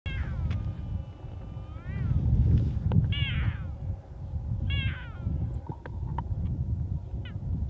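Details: Female puma calling for a male to mate with, near Torres del Paine National Park, Chile, on April 13, 2019: several short, harmonic, bird-like chirping calls spaced a second or so apart over steady low rumbling wind noise.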